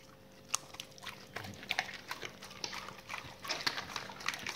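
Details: Dogs eating raw meaty salmon bones and raw chicken carcasses: sharp, crunchy cracks and wet crackling bites in irregular bursts, with a faint steady hum beneath.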